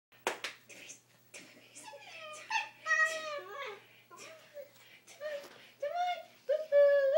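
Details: Pet dog indoors making an odd, drawn-out noise when its owners try to make it sit still: wavering, tonal whines and moans rising and falling in pitch, mixed with people talking in a small room.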